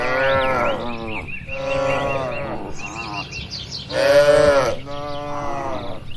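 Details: In a barn where cattle are eating, a series of five short-to-medium lowing calls follows one after another, the fourth loudest and richest, against a steady twitter of chirping birds.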